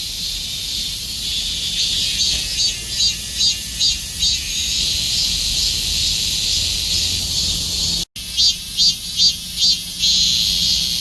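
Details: Korean cicada singing in summer: a dense, high, shrill buzzing drone with rhythmic pulsing bursts around the second to fourth seconds and again near the end, broken by a brief silent gap at eight seconds.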